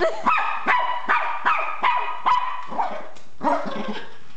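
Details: A Miniature Pinscher named Zeus, scared of an RC car, barks steadily about every half second, each bark sharp and high with a slight falling tail.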